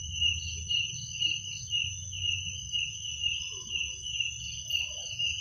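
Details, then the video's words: Crickets chirping at night, a steady high-pitched trill with a second thin tone above it, pulsing in loudness about twice a second, over a low background rumble. "Suara jangkrik pada malam hari"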